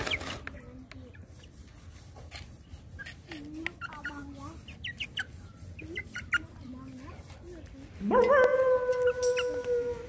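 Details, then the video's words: Hungry dog being fed. A long, steady, tonal whining howl rises and holds over the last two seconds, after a stretch of soft clucking chickens and faint chatter. "Dogs hungry food"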